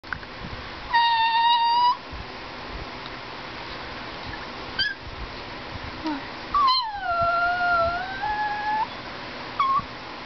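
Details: Gizmo, a greyhuahua (Greyhound–Chihuahua mix) dog described as talking, gives a few high, clear whining tones: a steady one-second note, a short blip, then a longer falling-and-wavering whine with a final brief squeak, set against quiet room noise.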